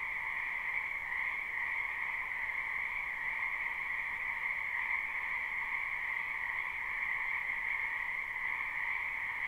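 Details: Frogs in a springtime wetland chorus continuously in a live, unlooped recording, a thick wall of overlapping high-pitched trilling calls layered over a softer mid-pitched buzz, steady in loudness throughout.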